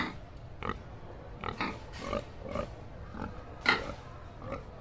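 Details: Pig making short, soft grunts and snuffles spaced roughly half a second apart, with one louder grunt toward the end, over a low background rumble.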